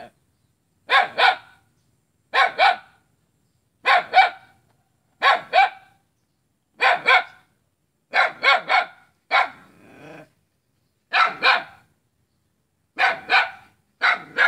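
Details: Steady barking from a dog aimed at its neighbour, Jalan Kolonel Sugiono, Selat, Kapuas, Central Kalimantan, 5 August 2017: paired and tripled barks repeating roughly every one and a half seconds, with a brief softer sound midway.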